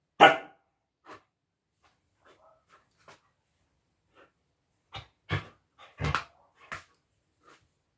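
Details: A female Siberian Husky playing with her plush toy gives a loud opening bark, then scattered short yips and grunts.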